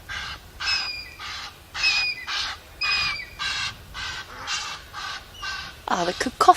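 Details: At sunrise on 23 July at an African dam, a very angry squirrel gives a harsh, rasping alarm chatter at a fish eagle, about two scratchy bursts per second like a witch's cackle; a different, falling harmonic call breaks in at the end.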